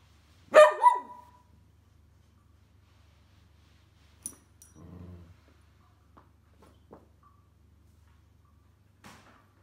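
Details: Male pet whippet named Roscoe lets out one loud, abrupt bark with a quick second yelp, followed by soft thumps, faint clicks and low rustling in a quiet indoor space.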